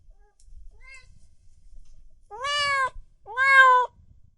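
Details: Cats and kittens meowing loudly indoors: a faint short mew, then two strong, drawn-out meows that rise and bend downward at the end, separated by a brief pause over low background rumble.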